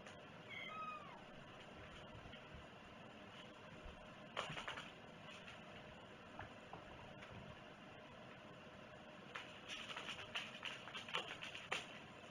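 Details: One clear, arching cat meow opens the recording, followed by repeated clicking and tapping sounds and faint rustling indoors.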